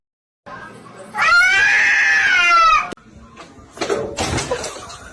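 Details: A cat lets out one long, drawn-out meow lasting about two seconds. It is harmonic and slightly arched in pitch, then broken off by scuffling noise, with people talking and laughing nearby.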